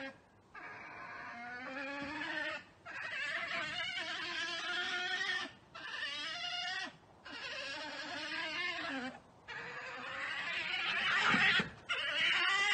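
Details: Badgers fighting in a garden on 14 July 2019, one running at the person filming. Long harmonic wailing, chattering calls in bursts of one to three seconds separated by short silences, ending in a harsh louder scuffle.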